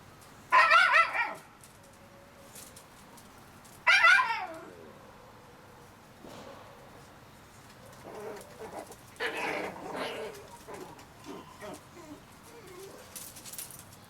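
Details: Shiba Inu puppies a month old, two loud harmonic squeals in the opening seconds, then a wavering run of softer whines and whimpers around nine to eleven seconds, ending in faint high cries.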